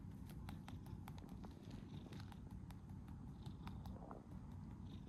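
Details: Cat named Sabi-chan, who freezes when visited, purring: a steady low rumbling drone throughout, with scattered faint clicks and rustles above it.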